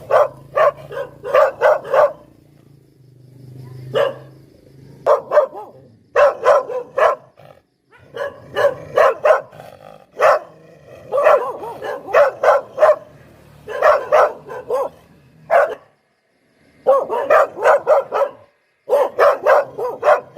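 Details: Poodle barking in quick bursts of three to six sharp yaps, pausing between volleys, with a faint low hum running underneath.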